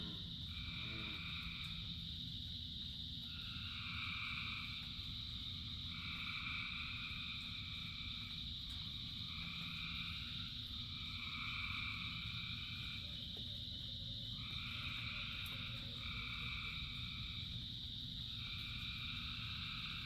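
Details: Thousands of frogs singing in the rain. Bursts of paired-tone trills about a second long come in irregular runs over a continuous high chorus, with a brief lower call midway. The rain keeps a steady rumble.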